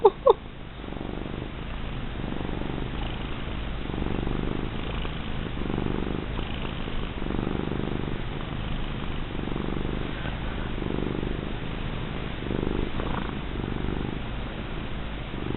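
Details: Plump female domestic cat purring while being rubbed indoors: steady low rumbling purr with soft pulsing swells roughly every second, a brief click at the start, continuing throughout.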